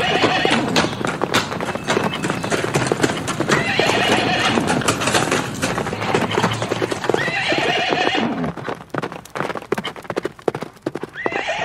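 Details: Dense, continuous galloping hoofbeats from horses in nature, with several quavering whinnies partly buried in the thundering, noisy background.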